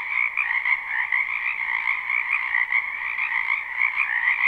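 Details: Many frogs calling together from a backyard wetland in spring, captured live; rapid pulsed croaks overlap about twice a second into a ceaseless, slightly wavering chorus with no other sounds.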